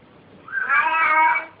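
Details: Domestic cat giving a drawn-out, rising-then-level meow with rich harmonics, about a second long, after people say hello; laughter follows.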